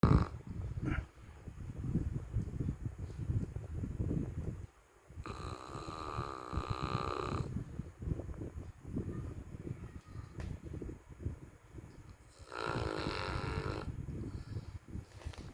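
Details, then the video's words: Precious, a dog, snoring very loudly while asleep: continuous low, rough rumbling breaths, broken by two longer, harsher and louder snores of about two seconds each. "Dog that snores so loud"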